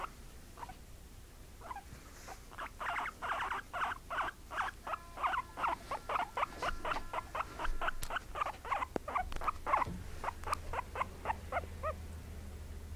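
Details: Indoor pet guinea pigs, a white mother and her brown daughter: scattered squeaks grow into a rhythmic series of short, bright chirps, with a couple of sharp clicks and a low hum near the end.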